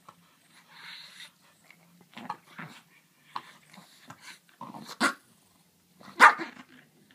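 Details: French bulldog and griffon playing indoors; low growls and short grumbling barks build up, ending in two louder sharp barks about a second apart.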